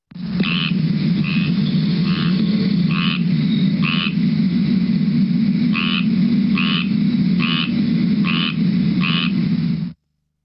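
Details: Squirrel tree frog in Southwest Florida giving raspy, nasal, duck-like quacks, said to sound like an angry squirrel, repeated in short bursts over a low rumble.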